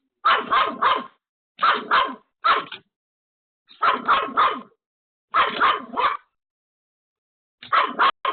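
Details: Pomeranian dog left home alone, barking frantically at a sudden visitor: sharp yappy barks in quick bursts of two or three, with pauses between bursts, repeated through the recording; no other sounds.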